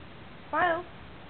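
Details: A male Basenji-Chihuahua mix gives one brief, tonal, wavering whine, the crying he does when he needs to go out and is asked to do something.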